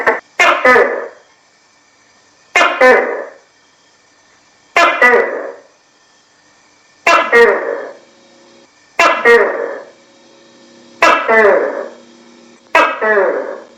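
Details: Steady series of about seven loud, croaking two-note Tokay gecko calls, each falling slightly and spaced about two seconds apart, nothing else audible.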